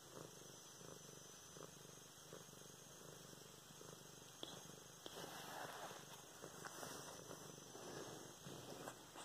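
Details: Purring from Luna the cat during petting and play, filmed November 24, 2016: a continuous soft, low throbbing rumble with faint scratchy handling noises rising over the second half.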